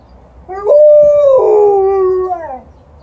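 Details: A female Alaskan Malamute responds to a passing ambulance siren with a long, wavering howl that holds steady, then drops lower before fading.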